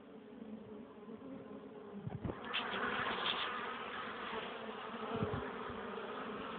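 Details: Pollen-carrying honey bees at the hive, 21 April 2013, 1 pm, sunny, 12 °C with cold wind. A constant wing hum, with one bee's louder, rising buzz as it passes close and a couple of low wind bumps.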